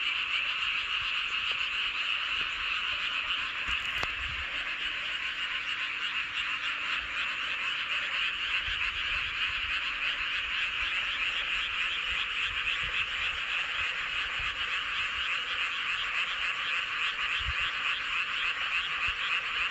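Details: Frogs chorusing under the full moon at Hoengseong County, Gangwon-do, South Korea: rapid, pulsing rattled croaks repeating over 200 times a minute, a dense steady chorus with occasional faint low knocks.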